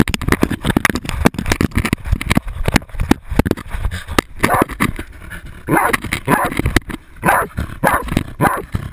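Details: Jagdterrier baying a 250 lb boar, recorded with a GoPro camera on the dog: heavy crashing and scuffling noise, then a run of harsh, repeated barks in the second half.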